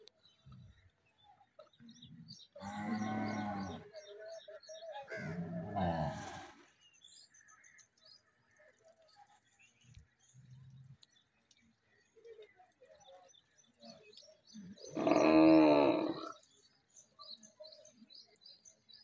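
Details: Cattle, a cow with a big bull during mating: three drawn-out, harmonic moos of one to one and a half seconds each, the last the loudest, with faint short grunts and scattered high chirps between.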